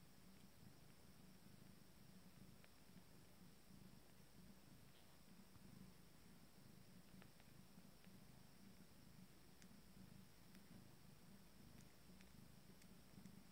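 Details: Five-day-old Abyssinian kittens from a first litter feeding. A soft, low, steady purr pulses continuously throughout, with faint clicks and small rustles above it.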